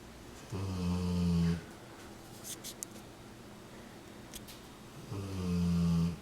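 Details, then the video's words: A male Rottweiler snores while lying happy and comfortable on his owner's lap, 40 days after a hemangiosarcoma diagnosis and splenectomy. The snores come in deep, rumbling bursts about a second long, separated by quiet breathing. "Cutest Rottweiler snores like crazy on his dads lap"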